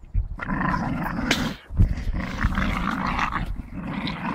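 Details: Staffordshire bull terrier tussling with a tyre, giving a low, harsh, sustained growl, interrupted by a short gap and a couple of sharp thuds, then rumbling on steadily.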